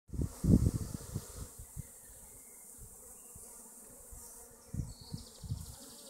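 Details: Honey bee colonies at their hives in western Augsburg, Germany: loud, low droning buzz bursts as bees pass close in the first second and again near the five-second mark, with a faint steady hiss between flights.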